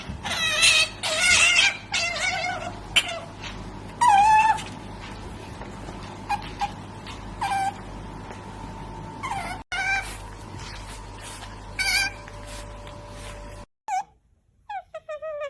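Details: Otters making strange noises: bursts of high, sharp squeaks and chirps with bright overtones, some wavering or sliding, a few seconds apart, broken by abrupt cuts and brief silences, over a faint steady hum.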